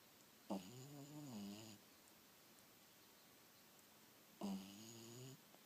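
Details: Snoring from a sleeping dog in a quiet room: two slow, soft breaths about four seconds apart, each a drawn-out, wavering, slightly nasal tone lasting around a second.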